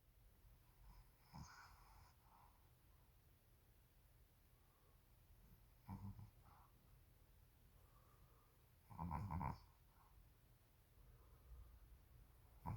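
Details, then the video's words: Sleeping Shih Tzu snoring: soft, low rasping snores come in short, uneven bursts near 1.5, 6 and 9 seconds. The loudest and longest snore is around 9 seconds, with quiet breathing between. "코골이 시츄"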